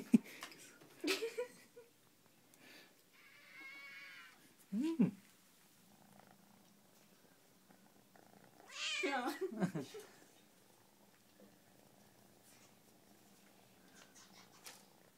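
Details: Cat at a shelter meowing indoors: a few short, strained meows early on, then a louder, drawn-out meow that rises and falls near the end, with people talking softly between the calls in a small room.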